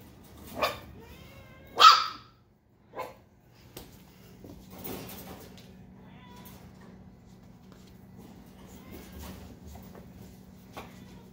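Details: Eight-week-old Chihuahua puppies giving three short, high, sharp yips in the first three seconds, followed by a long stretch of quiet with a low steady hum.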